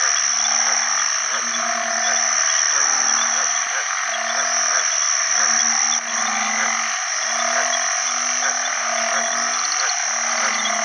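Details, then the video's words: House banded bullfrogs, ueng khi khan in Isan, call for partners at a pond after heavy early rainy-season rain. Groups of overlapping low, humming croaks repeat over a steady, shrill background chorus of frogs and insects. "อึ่งอ่างร้องหาคู่ bullfrog call"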